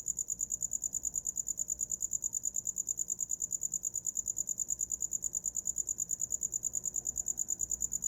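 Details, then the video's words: A cricket calls without pause, its high thin pulses ticking by at a fast, very regular pace over a soft, low murmur of background noise. "Som de grilo para dormir"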